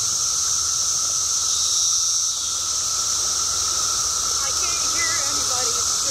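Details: Periodical cicada. A dense chorus of periodical cicadas produces a continuous, shimmering drone with a lower whirring hum beneath it. Near the end, a few faint chirps flicker over the buzz.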